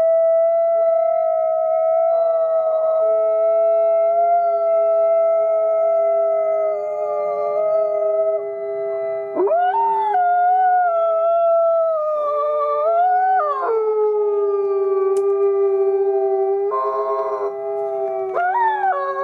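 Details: Captive gray wolves at the Wolf Conservation Center in South Salem, New York, howl together as a pack (reportedly thirty-three wolves), several long, steady voices overlapping at different pitches.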